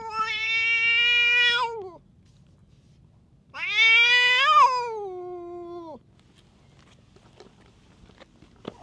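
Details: Tough stray cat taking out its temper on surrounding cats utters two long, loud, harmonic-rich meows, each about two seconds, the second wavering slightly before dropping; faint rustles afterward.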